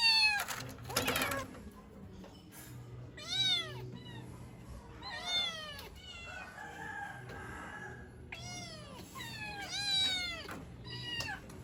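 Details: Pet kittens crying for their mother: many bright, high meows in quick bursts, several voices overlapping, each call sliding down at the end. A brief rustle comes at the start.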